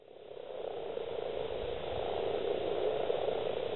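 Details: Dense chorus of male common frogs (Rana temporaria) calling at a breeding gathering of at least 70 in East Kilbride, South Lanarkshire, Scotland, on 28 February 2012: a continuous low purring, croaking drone that swells gradually throughout.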